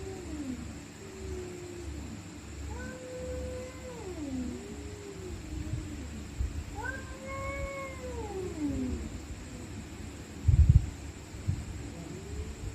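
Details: Stray cats fighting at night: slow, undulating moaning yowls, one swelling into a higher rising wail, set against strong low-pitched rumble, a steady faint high whine and a brief burst of thumping near the end.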